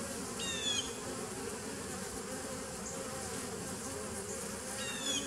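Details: Bees from a 2017 nucleus colony, 27 September 2018, keep up a constant low buzz, with a short high chirp near the start and another at the end.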